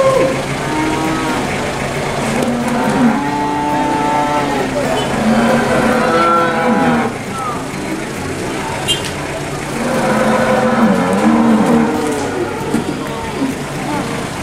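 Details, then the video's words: Cattle lowing at the Boyolali cattle market. Several overlapping, drawn-out moos come in two bursts separated by a quieter gap, set against a constant hubbub of people and distant traffic. "Suara hewan sapi di pasar"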